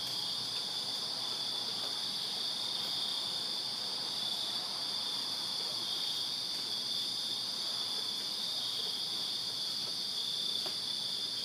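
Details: Backyard crickets in Virginia on a summer night keep up a continuous high-pitched buzzing trill, evenly sustained, with soft distant background noise below.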